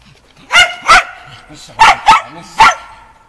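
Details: Shetland Sheepdog Shaun barking during agility training on the dog walk, practising running contacts, 11 November 2013: five sharp, high, ringing barks, two quick ones, then a close pair and a last single, over about three seconds.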